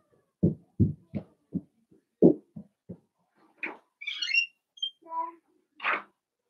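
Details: Five blenheim Cavalier King Charles Spaniel puppies romp with mother Paris in an indoor pen: a quick run of low, gruff yips, then thin high squeaks and a final sharp yelp.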